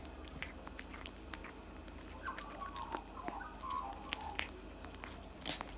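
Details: Tabby cat eating cat food indoors: steady wet chewing and crunching, sharp bite clicks, with brief faint squeaky mouth noises in the middle of the clip.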